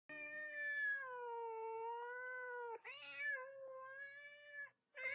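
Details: Thai cats, the tom Osman and the albino female Pink Panther, raised together and play-fighting over the New Year holidays; a long, drawn-out harmonic meow sags slowly and levels off for nearly three seconds, then a shorter cry rises and falls.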